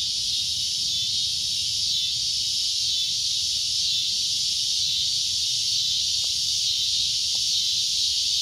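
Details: Continuous high cicada drone, shrill and hissing at a steady level, with a couple of faint brief clicks near the end.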